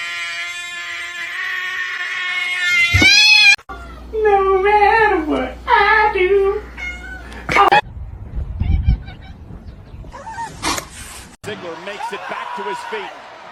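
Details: Domestic cat from a compilation of funny cat and kitten meowing scenes: several drawn-out, wavering meows mid-clip among abrupt cuts, excited human talk and exclamations, and indoor room noise.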